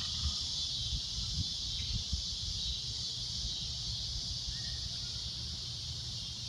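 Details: At sunset, a cicada gives a loud, shrill, unbroken drone that holds steady without pause.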